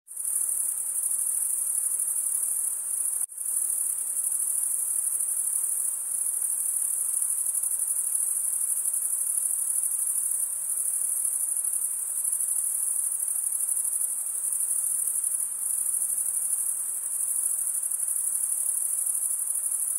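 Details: Crickets chirping at night in a summer forest, a dense continuous high-pitched trill filling the whole span with a brief dropout near three seconds; a faint broad hiss sits underneath, no other animals or voices.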